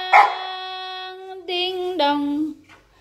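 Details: A Samoyed named Akyro, not in the mood to be drawn into conversation, holds a steady, even howl for over two seconds after a short yip, then adds two louder pushes that dip lower before fading; faint music.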